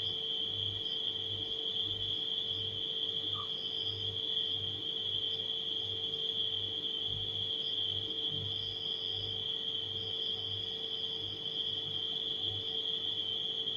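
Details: A steady high cricket trill fills the night, joined by scattered brief, higher chirping bursts, all layered over the throbbing low hum of a refrigerator.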